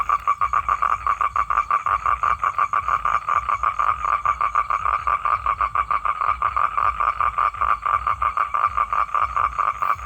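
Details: Calling male toad seeking a female to mate, giving an unbroken, rapid, rattling pulsed trill that keeps a steady pitch and pace for ten seconds, with faint low background rumble.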